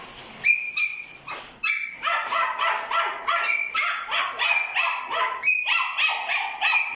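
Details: Female Kai Ken with black brindle coat, born 1 July 2020: a few separate high squeaks, then a dense run of insistent, harmonic yaps and whines, close to three per second, staying loud to the end.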